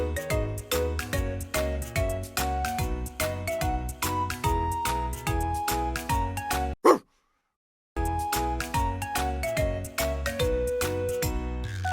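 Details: Upbeat instrumental music with steady plucked and percussive beats, broken by a short sharp sound and about a second of silence before the music resumes.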